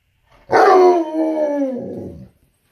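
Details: Tonka, a pet Alaskan Malamute, answers the owner's question about going outside with one long, loud, talking-style howl. It opens strong and bright, then glides downward, holding steady harmonics for nearly two seconds before trailing off.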